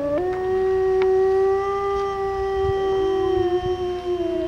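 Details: Grey wolves howl at the Grizzly and Wolf encounter in West Yellowstone; one gives a long, steady howl that rises at the start and holds one mid-pitched note.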